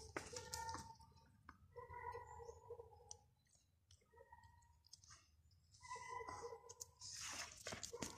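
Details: Indoors, a Greater Swiss Mountain Dog asks for bread with drawn-out, steady whines repeated several times, mixed with chewing, clicking and crunching noises.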